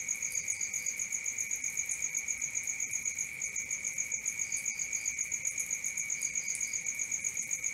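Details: Crickets chirping at night with a regular high pulse near four beats a second; short, softer triple chirps from another caller break in a few times.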